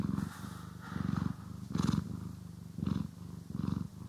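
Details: Pet cat purring during grooming and brushing, stereo recording: deep, rattling purr rising and falling with each breath, five swells in a few seconds, with short rustling brush strokes between them.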